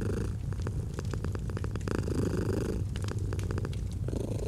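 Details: Domestic cat purring gently, a steady low rumbling drone with rhythmic breathing swells, joined by sharp crackles and pops of a fireplace throughout.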